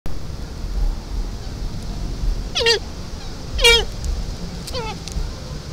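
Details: A doe deer calling her fawn: three short, nasal, downward-sliding bleats spaced about a second apart, over steady low rumbling background noise.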